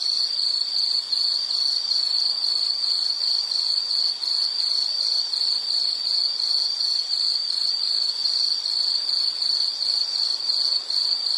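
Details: Insect chirping in a continuous high-pitched trill, pulsing steadily at roughly three beats per second with no pause across the stretch; a faint background hiss and no other animals or voices.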